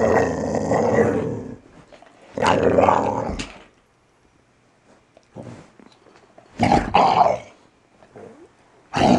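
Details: Valley Bulldog named Archie, just over three years old, growling while playing gently with his owner in the morning; rough, rumbling growl bursts of about a second to two seconds, separated by pauses, with snarling textures.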